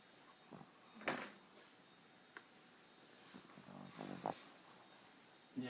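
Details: Twelve-year-old pet Pomeranian female, indoors, snoring in old age and slowly waking: scattered short snorting breaths and rough broadband puffs with a low throaty rattle near the end, amid quiet room noise and brief human speech.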